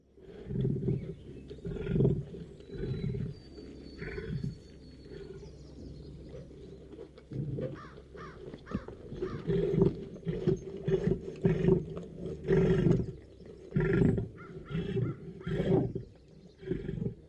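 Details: Caged lion roaring: a run of deep, throbbing grunts pulsing about once a second, each a low rumbling burst, with faint bird chirps high above.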